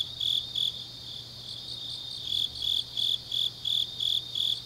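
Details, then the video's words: Late autumn night in Changnyeong, Korea, where grass insects give quiet shrill trills before a run of loud chirps starts midway, about three per second, steady and metallic, over a faint low drone. "깊은밤 가을 풀벌레 소리"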